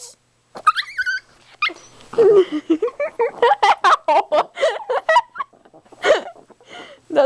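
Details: Precious, a demanding and excited pet Chihuahua, howling as if channelling her inner wolf: high wavering notes that rise and fall, then a quick run of short yowling bursts, with a woman talking to her over the top.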